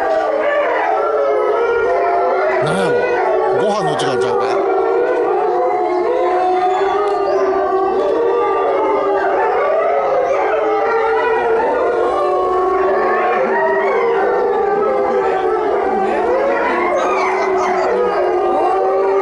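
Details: Captive Chinese wolves at Tennoji Zoo, 23 February 2013, howling: a long, steady, low drawn-out tone holds throughout, with other wavering howls overlapping and brief human voices in the background.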